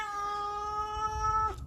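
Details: Stray cat outdoors in a snowstorm, screaming for food, with one long, steady, drawn-out meow held for about a second and a half, then cut off, with low wind rumble underneath.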